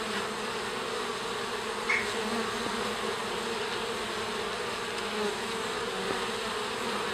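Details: Garden honey bees streaming out of the hive in the afternoon to stretch their wings, giving a continuous even hum of many wings, with a few faint ticks and passing louder buzzes.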